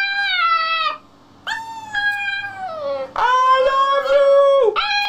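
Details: Puppies vocalising with drawn-out, tonal squeaks and howl-like whines, some held level and others sliding downward, in several overlapping phrases broken by a short quiet gap.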